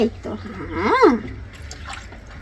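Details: House cat upset at being bathed utters a single arched meow that rises and falls, with a faint wet, noisy background.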